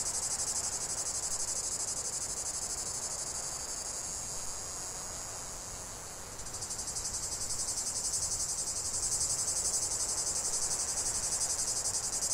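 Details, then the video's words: Several cicadas produce a sustained shrill drone. It softens slightly midway, dips briefly, then swells back louder with a stronger pulsing rhythm. "45 min de chant des cigales"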